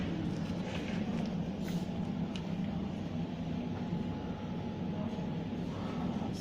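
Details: Steady low rumble of street traffic and passing vehicles, with faint speech in the background and no clear animal voices.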